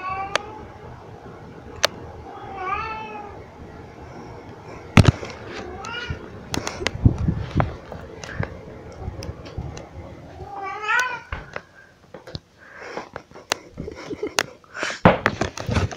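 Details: A very vocal pet cat named Pixie carrying cat toys around gives three distinct wavering meows, each bending up then down, spaced several seconds apart, amid sharp clicks, thumps and handling noise indoors.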